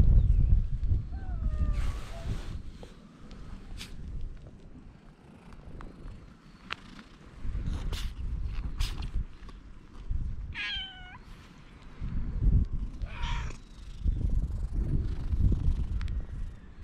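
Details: Stray cats crowding around on a breakwater during a wait for the ferry, recorded with a GoPro: two brief, wavering meows, one early and one midway, separated by steady low wind buffeting and occasional clicks.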